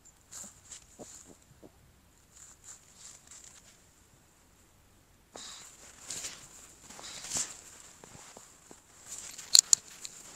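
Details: Close-miked Shih Tzu giving nasal snorts for ASMR: soft scattered sniffs at first, then a denser run of hissing, breathy snorts ending in a couple of sharp loud puffs.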